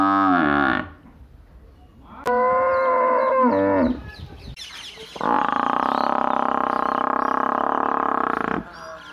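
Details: Repeated lowing from a buffalo or cow in a village: a short call, then a moaning call of about one and a half seconds, then a long, loud, even bellow lasting over three seconds.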